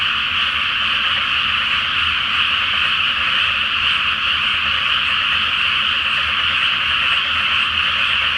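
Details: Before rice planting, frogs fill a flooded field at night with a great chorus under the full moon. Thick, ceaseless layered croaking, uniform in loudness, with no single caller standing out.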